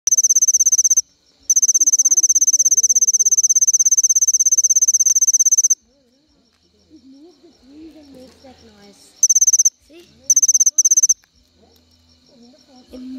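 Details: Cricket of the family Gryllidae giving its characteristic call by moving its wings. Very high, rapidly pulsed trill in a long burst of several seconds, then shorter bursts, with quiet low sounds between.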